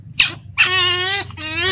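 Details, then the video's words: Baby otter, raised from small and kept by people, standing and screaming as it is about to be fed fish: two loud, high, harmonic-rich squeals, the second long and steady, with a short sharp cry at the start. "baby otter ll Berdiri dan berteriak saat mau di beri ikan"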